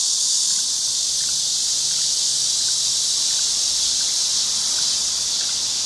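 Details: Cicadas give a continuous, even, high-pitched sizzling drone throughout, with no clear breaks and only faint scattered chirps beneath.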